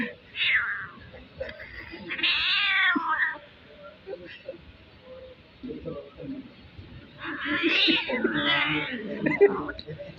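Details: Kitten making strange sounds: high, bending meow-like cries near the start, in the middle and again toward the end, with human speech and soft household noise between them.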